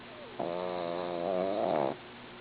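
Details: Snoring from a sleeping female dog, a single drawn-out buzzy breath of about one and a half seconds that swells slightly toward its end before stopping abruptly, with a low steady hum behind.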